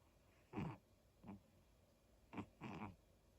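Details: Snoring from Daifuku, a sleeping dog: four short, rough, breathy snores, two near the start and a close pair near the end, each under half a second, over a quiet background hiss.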